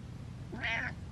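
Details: A pet cat gives one brief meow asking to be let down, a bright tonal cry that swells and fades within half a second, against quiet indoor background noise.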